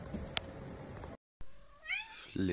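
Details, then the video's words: Cat giving a single clear meow that rises and then bends down, heard after a short silence, with a muffled low thump at the end and indistinct background chatter before it. "Kittens, Cats Playing and Meowing"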